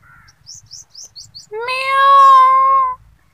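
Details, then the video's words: Kitten sounds: a series of short high chirping squeaks, then one loud, sustained, slightly rising meow with rich harmonics lasting over a second, on a very clean background. "Kittens sounds"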